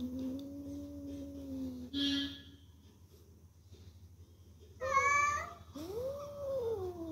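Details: Kittens indoors giving long, drawn-out, low wavering meows that hold steady for nearly two seconds. A short noisy scuffle follows, then a brighter, rising-and-falling meow. A faint steady hum sits underneath.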